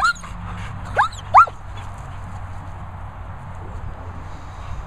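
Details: Two German Shepherds giving short, high, rising whines, three brief yelping notes within the first second and a half, followed by quiet background hum.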